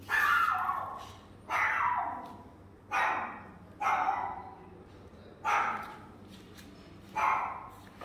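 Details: Yorkshire terrier giving six loud, drawn-out barking calls, each about a second long with a bright falling pitch, spaced roughly every one and a half seconds, with quiet background between them.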